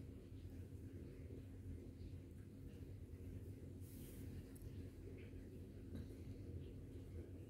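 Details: Ragdoll cat purring, a steady low rumble filling all seven seconds with an even, unbroken throb and no pauses; a few faint higher clicks and rustles break in near the middle.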